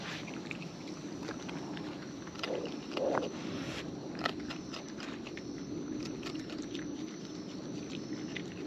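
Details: Close-up of wild raccoons eating: a continuous run of small crunching bites and sharp clicks, one louder crunch near the middle, over a constant soft background hiss.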